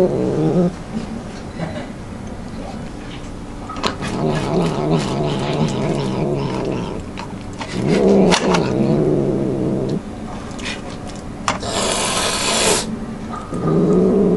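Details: Domestic cat making weird growling noises while eating and refusing to share its food; long harmonic moaning growls rising and falling around low pitch, broken by brief pauses, with eating clicks and a burst of broadband noise near the end.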